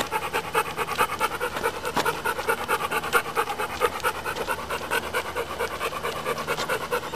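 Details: A dog's steam-engine-like breathing, quick regular huffs at roughly two per second, each puff a raspy broadband burst, very even in rhythm throughout.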